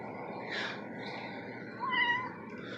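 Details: A cat gives one short meow, a steady mid-pitched tone that dips slightly at the end, over a constant room hum with soft background voices.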